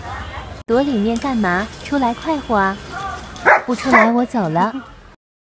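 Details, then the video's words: Alaskan Malamute giving a series of short, arching woo-woo vocal notes, each rising then falling in pitch, about eight in quick succession, with a slight room echo. "Alaskan Malamute Howling"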